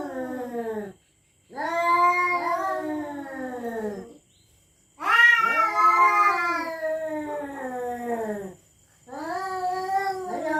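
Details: Cats yowling threats over territory at night: long warbling wails in bouts of about three seconds, separated by short silences, the middle bout loudest and most shrill.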